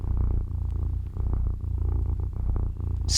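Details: A pet cat purring in the morning as its owner wakes up, wanting to snuggle: a steady, deep rumbling purr with rhythmic pulses that swell and fade with each breath, close to the microphone.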